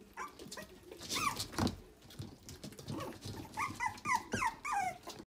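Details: A red Toy Poodle puppy giving high, thin whimpers and whines, several sliding downward in quick succession, mixed with soft yips and rustling.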